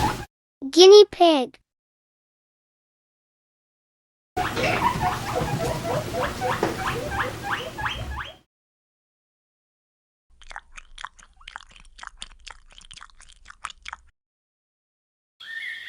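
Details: Guinea pig giving a rapid run of short, sharp squeaks for about four seconds, then fainter clicking chirps. A brief spoken word comes at the start.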